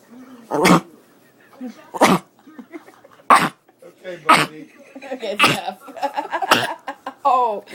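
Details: A pet dog making odd noises while being petted, almost choking himself. Sharp snorting, gasping bursts recur every second or so, mixed with short throaty sounds and quiet human speech indoors.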